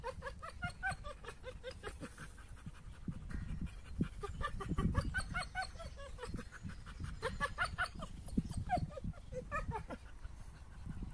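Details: AmStaff and Kuvasz dogs play roughly together; rapid, rhythmic huffing pants merge with short whiny growl-yelps, repeated several times a second throughout, over a low scuffling rumble.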